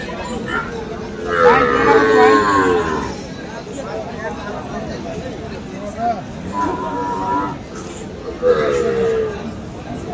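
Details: Friesian and crossbred bull calves and cattle at Aftabganj market in Dinajpur, Bangladesh, on 21 February: drawn-out, wavering moos from several animals, one long and falling, over constant crowd chatter and market bustle.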